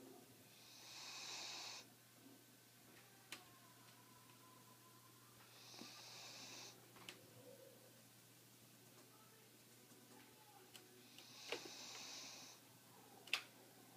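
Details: A sleeping Siberian Husky, worn out after a great day at the beach, snores, each rasping, breathy snore arriving roughly every five seconds.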